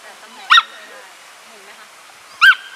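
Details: Samoyed dog being groomed, giving two short high yelps about two seconds apart, quiet room otherwise.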